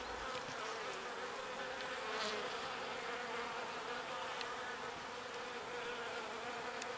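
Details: Many small bees working pollen near the hive: unbroken, layered buzzing that holds one steady droning pitch, swelling slightly at moments, with faint high ticks scattered through.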